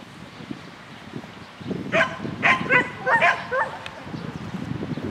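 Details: Shetland Sheepdog on an agility course in spring 2016, recorded 22 May 2016, giving a short burst of about four sharp harmonic barks over a steady background hum of outdoor noise.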